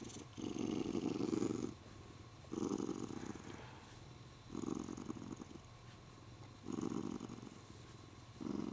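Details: Spoiled male Siamese cat purring happily while being stroked, holding his owner's arm; loud rumbling purr bursts about 1.5 seconds long, repeating every two seconds, with quiet pauses between, indoors.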